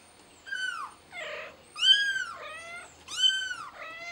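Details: Kitten named Billy calling for help, apparently stuck and wanting to be got down; loud high-pitched meows rising then falling, about four cries in quick succession, each with a rich harmonic stack, in a quiet indoor space.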